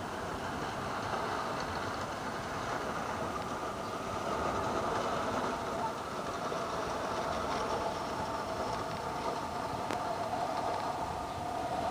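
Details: Continuous mechanical droning and rattling from a mower being pulled across grass, with no animal voice.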